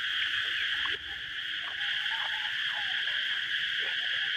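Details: Cicadas singing outdoors in Thailand during a meal, a loud, steady buzzing drone that never breaks, with faint clicks and scattered eating sounds underneath.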